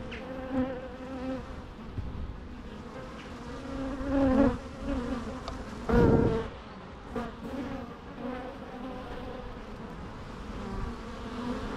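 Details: Low, droning buzz of bees with rich harmonics, the sound rising and falling as individual bees fly close, louder swells around four and six seconds.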